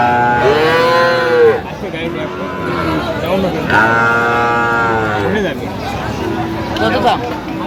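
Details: Bull calves of Friesian and cross breeds traded to a farmer from Madaripur, 21 October: two strong, drawn-out moos that dip at the end, spaced about two seconds apart, with people talking and bargaining behind.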